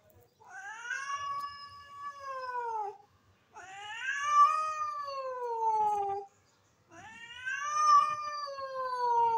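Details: Stray cat begging for food as milk is offered, giving three long, loud, wavering meows of nearly three seconds each, slightly sagging in pitch at the end, separated by brief silences in a quiet setting.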